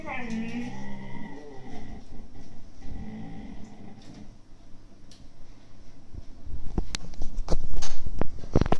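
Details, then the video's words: Two 8–9-month-old Siberian Husky puppies grumble and growl in harmonic, whiny bursts while arguing over an empty food bag. "Husky Puppys growls over a empty foodbag"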